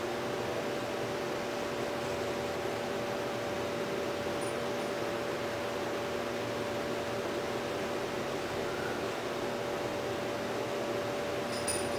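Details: Constant fan-like hiss and a steady tonal hum fill an indoor room, with no animal voice heard.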